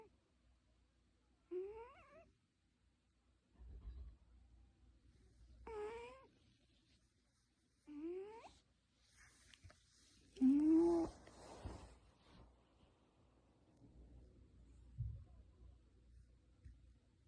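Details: Domestic cat indoors with an odd voice, giving short rising meows spaced a few seconds apart, then one longer, louder wavering cry near the middle; soft thumps and faint background noise between calls.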